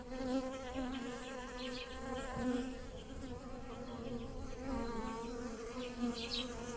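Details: Bees buzzing over blossoming lilacs in a garden while pollinating them; a steady, droning hum with wavering pitch swells and fades as insects fly close to and away from the flowers.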